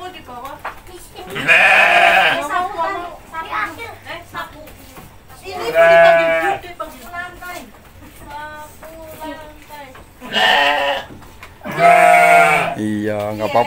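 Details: Goat named Bruno on a family feeding outing with a little boy and his mother, calling with four loud, wavering bleats spaced a few seconds apart amid busy Indonesian conversation and children's voices.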